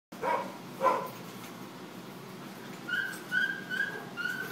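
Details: Tadpole, a dog awaiting adoption, romps with Sookie, a former shelter dog; two short barking yelps near the start, then a run of four or five high, thin whimpering yips in the second half, over a quiet indoor hiss.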